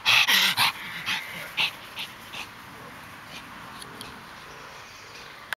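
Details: Pug Harley going hyper: a quick flurry of sharp, loud yaps and snorts at the start, fading to softer scattered sounds, then near quiet.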